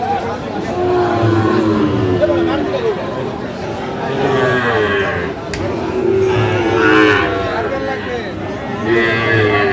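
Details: Crossbred and Friesian bull calves at Aftabganj cattle market, Dinajpur, 2 October 2024; several low, harmonic moos a few seconds apart rise through a noisy crowd and ongoing talk.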